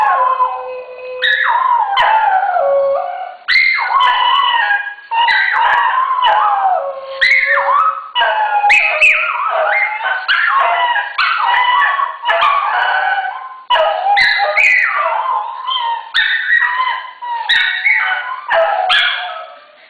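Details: Two pet dogs named Kuki and Krim, one lower-voiced and one higher-voiced, howl together in a synchronized duet; long, wavering tones rise and fall across the whole clip, voices overlapping and breaking off in short pauses.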